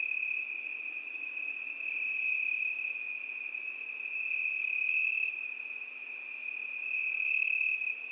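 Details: A continuous shrill cricket trill, even and unwavering, swelling gently in loudness and with brief brighter upper tones near the middle and end; nothing else audible.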